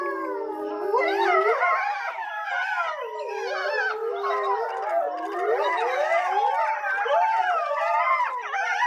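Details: Grey wolves howling at Tama Zoo, Japan, around 3 pm. Several animals overlap in a continuous chorus of long wavering howls. The pitches slide up and down and cross one another throughout.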